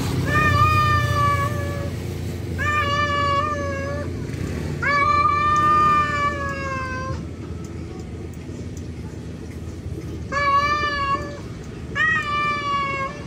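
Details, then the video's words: Tomcat calling out to a feral female for mating, giving five long, wavering yowls of one to two seconds each in irregular succession over a constant low background rumble. "Suara Jantan Kucing Panggil betina Liar"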